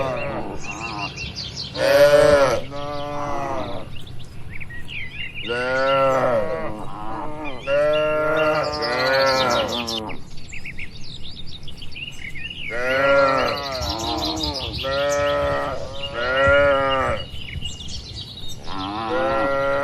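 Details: Large livestock barn with dozens of cows: a near-continuous chorus of overlapping moos from several animals, calls rising and falling in loudness, with birds chirping faintly behind.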